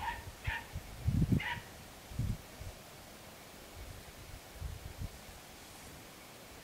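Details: Podenco Andaluz recorded on 3 December 2011 giving two sharp barks with clear overtones about a second apart, followed by dull low thuds and rustling outdoors.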